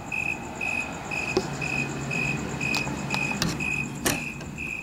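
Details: Loud cricket, or several, calling outside a house window at night: steady short chirps repeated about every half second, with clicks, thumps and a low background rumble.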